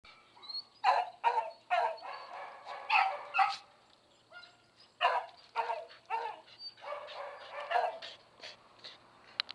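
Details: Smooth Collie up for adoption at a shelter, dated 11 August 2011; a run of short, sharp barks in uneven bursts, several close together, then quieter yips with pauses in between.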